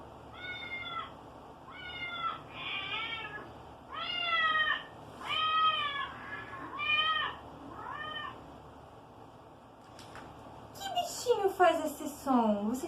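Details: Domestic cat, a kitten, played for children to guess which pet makes the sound: a series of about eight short harmonic meows, rising then falling, followed by higher, squeakier mews near the end.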